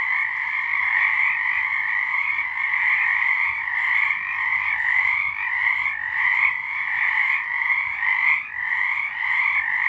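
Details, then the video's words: Nighttime frog chorus recorded in March 2023: many frogs calling at once in an unbroken, pulsing trill with a bright upper band and a lower band, steady throughout. "Frogs singing"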